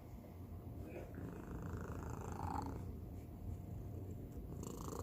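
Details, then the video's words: Domestic cat, the youngest of the household, purring in an unusual way indoors; a continuous low rumbling purr with a brief breathy rise near the middle and faint voices in the background. "고양이 골골송 / Cat purr"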